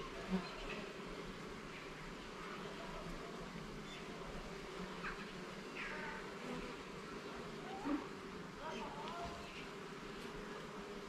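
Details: Honey bee hive in a garden, checked frame by frame, humming in a constant steady drone with a lower harmonic, broken by two soft thumps and faint brief high sounds.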